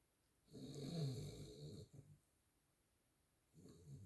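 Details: Miniature Schnauzer. A miniature schnauzer snores in long, low, rattling breaths. Each rough inhale rumbles for about a second, then a quiet pause comes before the next snore begins.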